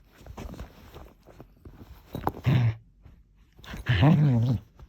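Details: Aussiedoodle dog making funny noises: two loud, low, growly grumbles with a rough harmonic tone, the second longer and wavering, after a quieter stretch of faint rustling and thumps.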